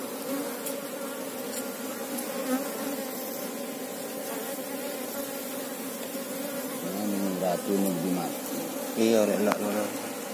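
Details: Colony of Asian honey bees (Apis cerana) while a keeper looks for the queen: dense continuous droning hum of many bees, with handling knocks and short speech bursts in the second half.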